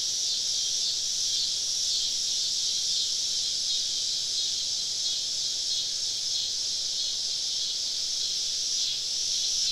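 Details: A steady summer-evening drone of cicadas deep in the woods during a camping trip, an even, high, hissing buzz with no clear pulsing and only slight wavering in strength.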